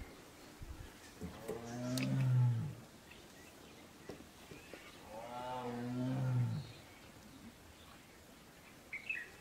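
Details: Wild male tiger calling for a mate in Ranthambore National Park: two resonant, groaning roars about four seconds apart, each swelling then sinking in pitch, with faint rustles and a distant bird call late on.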